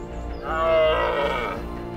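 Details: On the Isle of Rum in the Hebrides, Scotland, during the rut, a rival red deer stag gives one hoarse, drawn-out roar of about a second that swells then fades. He walks parallel to a harem-holding stag to challenge him. Background music plays.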